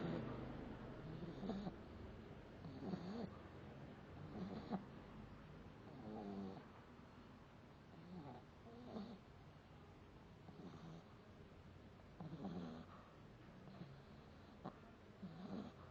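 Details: Pet Boston Terrier named Oreo snoring in its sleep, as it always does; soft rasping breaths recur roughly every one and a half seconds, low and quiet over a steady background hiss.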